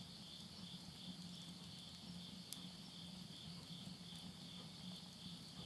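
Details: Countryside insects at midnight, end of summer, September 2020, Tottori, Japan: an even, high continuous trill alongside a lower rapidly pulsing drone, with an occasional crack of burning wood from a stove.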